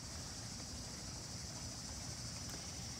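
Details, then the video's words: Cicadas begin singing a steady, high-pitched drone over a low background rumble in a cool-climate tropical-style garden in early summer (late June to early July), a sign that summer is here; katydids have not started yet. "and as you can hear the cicadas are now also starting to sing and the cicadas are definitely a sign that summer is here"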